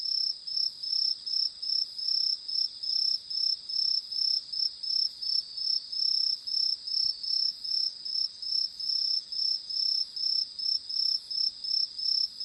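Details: Crickets calling at night among flying fireflies: a loud, high, ringing trill in short bursts repeated about twice a second, very steady throughout, with faint higher chirps above and no other sounds.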